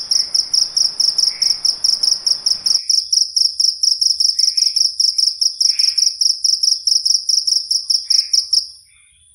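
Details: Tiny, very loud night-calling insect: a continuous shrill high-pitched pulsed trill, bursts repeating about twice a second for nearly nine seconds before stopping. Background hiss cuts out early, leaving a few soft lower chirps.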